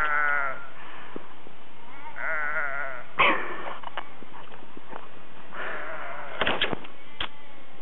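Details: Norwegian sheep with long, fat tails, outdoors one evening, give three wavering, quavering, un-bleat-like calls over eight seconds, with sharp knocks and clicks between them.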